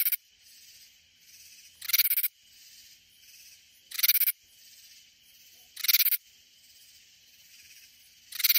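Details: Katydid in the Texas Hill Country near San Antonio giving short rasping bursts roughly every two seconds, five in total, separated by a low background insect hum.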